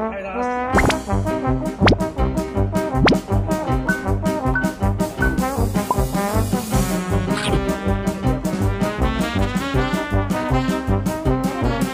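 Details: Lively brass music with trombone and trumpet, bouncy and rhythmic, with a few sharp pops and faint voices mixed in.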